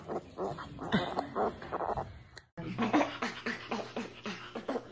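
Short, tonal calls from a spider monkey come in a rapid series, some rising and squealing, others lower and whimpering. A steady low hum runs beneath the second half.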